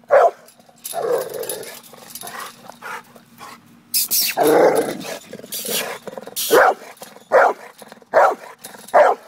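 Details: Pit bull dog confronting a cat: a burst of harsh noisy sounds early, then a run of sharp barks roughly every second toward the end, with bursts of broadband noise between.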